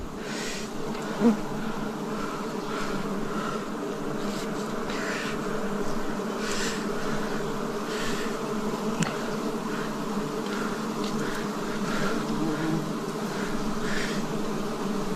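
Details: Forest honey harvest in 2026 with wild bees: an unbroken, even buzzing hum from many insects, steady in pitch throughout, with faint intermittent rustling swishes and a single soft click early on.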